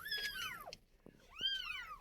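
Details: Domestic cat: a mother that has carried her kittens away indoors while a woman calls the kittens to their mother. Two clear arched meows rise then fall, about a second apart, with a soft tap between them.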